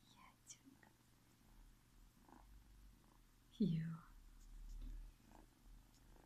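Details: Zsebibaba, a tiny ginger kitten born in February 2017 and one of a litter of four, indoors with its owner. A low steady purr rumbles throughout, broken by one short falling mew midway, with soft whispering around it.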